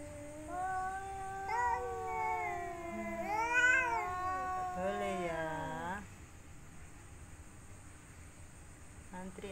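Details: Domestic cats in mating season, one female and three males, calling while seeking a mate: drawn-out, wavering harmonic yowls that rise and bend, overlapping for about six seconds, then fading to quiet room noise.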